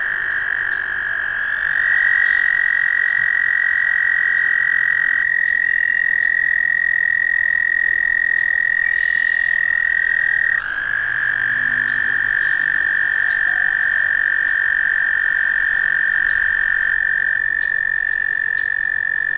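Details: Sustained American toad trilling, a long even high-pitched purring tone running nearly continuously; around midway one trill gives way to another at a slightly different pitch, so two overlapping voices are audible.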